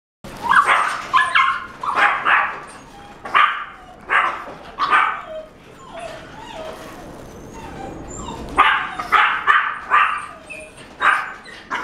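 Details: Cream-coloured female French Bulldog born 23 June 2018, kept at a pet shop, letting out bursts of short, high yappy barks in quick clusters of two to four, with brief pauses between volleys.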